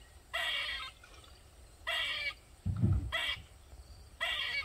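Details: Squirrel in a backyard in Maryland, sounding off for over 45 minutes: four loud grating buzzy calls, each about half a second long, with a low thump between the second and third.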